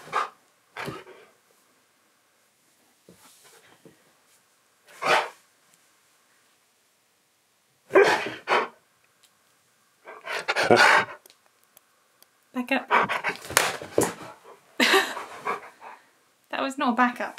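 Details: Keyush, a husky, argues indoors in a small room during filming of a new outro, letting out short rough yelps and bursts every few seconds, ending in longer wavering moan-like complaints, with a person's voice between.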